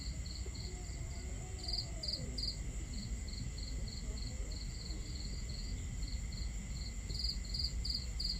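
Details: Steady high cricket chirping at night, regular short pulses with a louder burst near the start and end, set against a crackling campfire and water flowing at a camping spot.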